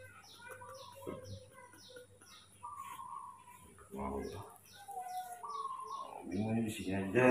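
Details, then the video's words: Spoiled baby monkey Mobi waking up in the morning, raised by a keeper: a series of short and longer whistled whimpers, some flat and some wavering, mixed with a person talking and constant high-pitched rhythmic chirping behind. "baby monkey Mobi is super spoiled when he wakes up in the morning"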